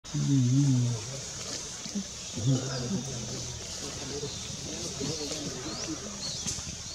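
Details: Eastern chimpanzee recorded wild at Kibale National Park, Uganda: a loud low hooting burst opens, followed by a second rougher call around two and a half seconds, then quieter grunts over forest insect buzz and faint high chirps.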